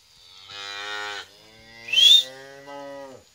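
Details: Holstein Friesian heifer calf, eight months old, at a dairy farm in Bhangura, Pabna, Bangladesh: three rich, nasal moos in quick succession, the middle one briefly overlaid by a sharp, high rising squeal, with a quiet background.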